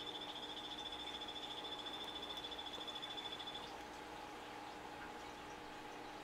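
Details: A captive male Epipedobates tricolor 'Morospunga' calling: a rapid, even train of high buzzy pulses that runs for about three and a half seconds and then stops, leaving faint background hum.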